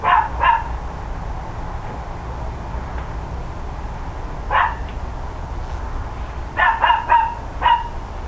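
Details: Neighbouring dogs barking loudly in the morning of 13 October 2012, a pair of barks, a lone bark midway, then a rapid cluster of four, over steady low background noise.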